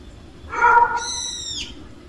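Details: Street cats, a cat family gathered at a meal: one short, mid-pitched harmonic meow, then a thin, very high squeal that slides downward at its end, over a quiet low background hum.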